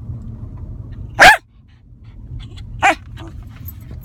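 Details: Lakeland Terrier in a car giving two short, sharp barks about one and a half seconds apart, the second softer, against a low steady road hum.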